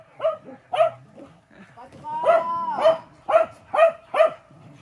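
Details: Welsh Corgi brothers, pet dogs playing together at home: a quick run of short, sharp barks about twice a second, with a longer drawn-out whining call in the middle.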